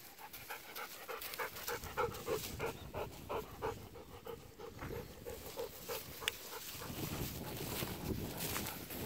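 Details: Golden retrievers Kohaku and Ibuki out walking on October 8 in a harvested rice field where the stubble is sprouting green again; quick rhythmic panting, about three breaths a second, steady throughout, with rustling of the field underfoot toward the end.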